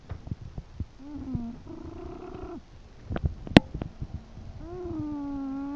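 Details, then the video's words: Chester, an English bulldog, asleep and snoring; buzzy nasal snores of about a second, with a flat hum sliding slightly downward, broken by scattered clicks and knocks in the background. "My English bulldog "Chester" snoring!"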